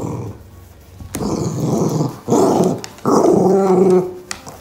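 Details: Indoors, pet poochon Boca plays footsie soccer and lets out three rough growls that start abruptly and last about a second each, after a quiet opening with a sharp knock.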